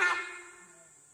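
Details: Single abrupt honk from a sambar deer alarming at a tiger in forest, a harsh blaring burst that decays quickly over about a second, with a constant high-pitched hiss in the background.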